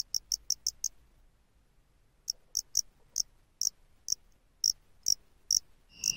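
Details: A face-flattened cricket (Loxoblemmus doenitzi), commonly heard in the lowlands of western Japan, sings short, high chirps, first in a quick burst, then spaced about half a second apart.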